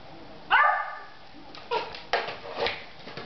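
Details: Alvin, a Beagle, barks while playing with a plastic bottle indoors: one sharp, loud bark with a clear harmonic stack, followed by softer rustling and crinkling of the bottle.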